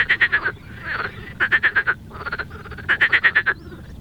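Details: Non-native marsh frogs in a wetland, where they spend the whole year in and around water, giving their very loud call: three rapid rattling bursts of about five harsh pulses each, with a croaky grumble between the first two.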